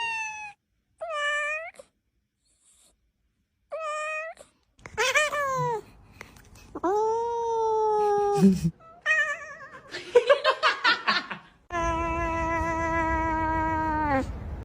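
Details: Cat meows in quick sequence: a few short, clear mews, then longer wavering cries and strained, drawn-out meows, ending with one long, steady wail about three seconds long, in a quiet indoor setting.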